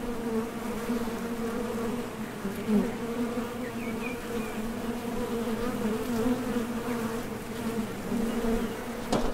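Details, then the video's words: Foraging honey bees coming and going at the entrance of a Top Bar Hive make a steady, even hum, a low droning buzz with stacked harmonics and a few faint higher whines of passing bees. "HONEY BEES Sound Effect #MasonJar | BEES BUZZING"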